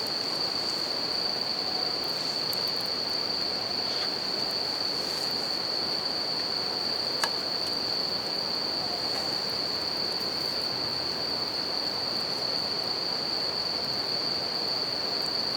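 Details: Continuous high-pitched ringing of bell crickets near a river and campfire outdoors, steady and unchanging for the whole stretch, half-buried in the loud hiss of running water; one sharp crackle from the fire pops out midway.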